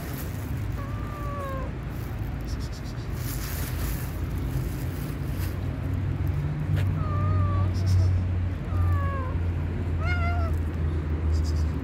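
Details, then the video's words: Hungry black and white cat with a mole on its nose meowing four times across the stretch, short falling-then-level cries, the last one brighter, over steady low rumble and faint voices. "black and white cat with a mole on the nose is hungry."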